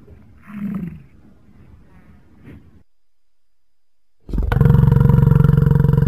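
An American bison gives a deep, rough, rumbling bellow after a soft low grunt and a pause.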